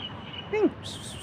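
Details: Playful tabby cat giving a single short mew, about a fifth of a second long, starting steady then sliding downward with clear harmonics, set against a low steady background hum.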